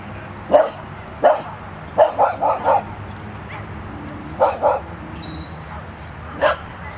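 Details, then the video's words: Three dogs at a dog park, one barking and the other two joining in: about nine short, sharp barks, some single, some in quick pairs and triplets, spread unevenly over seven seconds against a steady low background rumble. "Dog Park: Luna barks and Lola and Milla follow"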